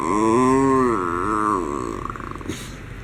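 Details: A pampered miniature schnauzer being expressive, giving a drawn-out nasal moaning whine that wavers up and down for about two seconds, then trails into soft huffs and a brief rustle.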